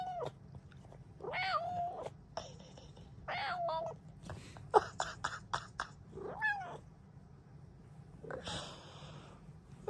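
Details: Happy female Bengal cat meowing in the morning: several rising-then-falling meows, some drawn out and wavering, with sharp tapping clicks between them and a short burst of rustling noise near the end.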